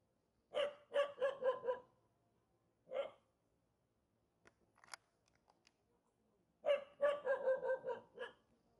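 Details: Mountain-village dog unhappy at meeting people gives quick runs of harsh, clustered barks, a lone bark, a quiet gap with faint clicks, then another rapid volley of five or six barks.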